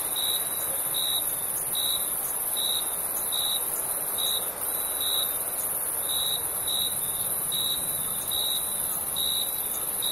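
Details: Night chorus of summer crickets: clear, evenly spaced chirps about once per second layered over a dense, shrill insect hum and faint ambient noise.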